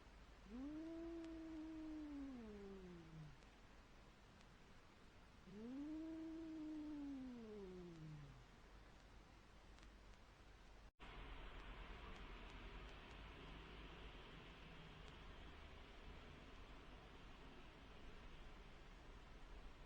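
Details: Two cats meeting in a brief encounter; two low, drawn-out moaning yowls, each falling at the end, a few seconds apart, followed by steady outdoor background noise with no calls.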